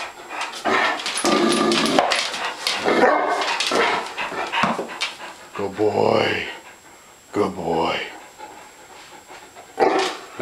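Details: Hungry dogs vocalising: dense bursts of barking and yelping early on, then rising-and-falling whines, with a person's voice praising them as good boys throughout.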